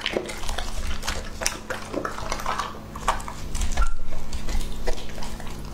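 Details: Close-up eating by Lucky, a two-and-a-half-year-old male English Labrador Retriever. Rapid, uneven crunches and moist smacking bites continue throughout, heavy in low rumble, with a brief sharper crack near the four-second mark.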